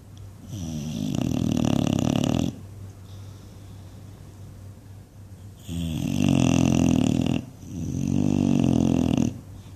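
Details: Sleeping English Bulldog dreaming with loud snoring and flapping noises: three long, low, rattling snores, each about two seconds, separated by quiet pauses of breathing.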